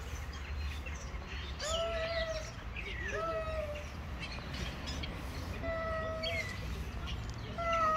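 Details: Two male street cats face to face before fighting, trading rich, harmonic wailing yowls about a second long, several in quick succession, with a steady low background hum.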